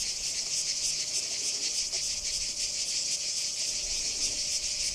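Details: Cicadas at Kardamyli, 2013, in full chorus: an unbroken high electric buzz throbbing in quick regular pulses, about three per second.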